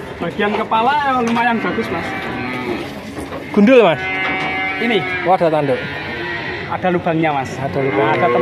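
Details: Male calves at Grabag, Magelang, nineteen bought as one lot: several calves give overlapping moos, bending up and down in pitch, one louder bawl near the four-second mark, with people talking throughout.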